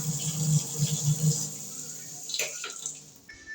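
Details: Running water splashes indoors over a low, pulsing hum, with no animal voice. Faint music or room noise sits in the background.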